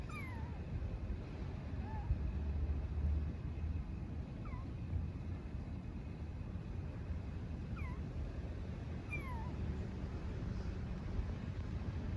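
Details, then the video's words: Stray kitten living on a street in Istanbul calling for its mother cat: thin, high, falling meows spaced several seconds apart, faint over a steady low outdoor rumble. "Kitten living on the street meows for mother cat"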